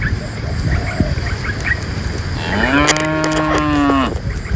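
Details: A herder guides dozens of tame cows from the forest into a pen. After quiet bird chirps, one cow gives a long, even moo that rises at its start and lasts over a second, then fades out.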